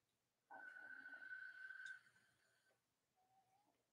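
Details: A steady, level, high-pitched whine from a Cavalier King Charles Spaniel puppy of Robin and Myra's litters holds for about two seconds and fades. A faint thin tone follows, over a quiet indoor background.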